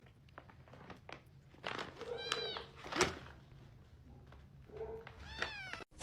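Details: Domestic cat giving two drawn-out, harmonic meows a few seconds apart, between quiet stretches with faint soft thumps and rustles indoors.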